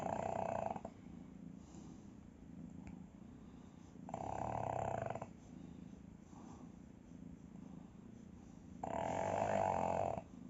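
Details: Pug sound asleep, snoring indoors: three broad, rasping breaths about four seconds apart, each lasting roughly a second, with a soft steady low rumble between them.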